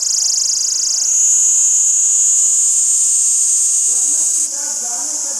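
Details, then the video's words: Tarida chirping in the jungles of Nathiagali: a steady, very high, shrill buzzing drone that pulses rapidly without pause, shifting slightly in pitch near the end as faint lower sounds enter. "CHIRPING SOUND OF "TARIDA""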